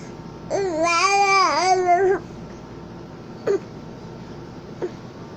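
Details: Napping cat recorded October 19, 2020, indoors, giving a wavering, trilled murmur lasting nearly two seconds, then two short faint chirps; quiet room hum underneath.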